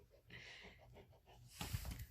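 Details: Mika, a five-month-old female Rottweiler puppy, throws a temper tantrum indoors, angry that her owner is painting a puppy statue: breathy, pulsing grumbles with a whiny edge, then louder snorting huffs near the end.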